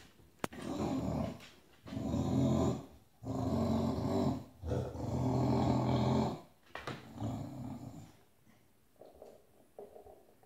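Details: Annoyed bulldog protesting indoors at another dog occupying its bed, giving low snorting, rumbling growls in long breathy bouts, fading to softer grumbles at the end.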